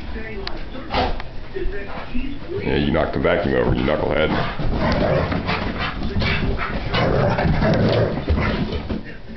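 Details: After breakfast, a Giant Schnauzer makes drawn-out, wavering moans and whimpers that rise and fall in pitch, clustered in the middle of the stretch, with human speech and handling noises around them.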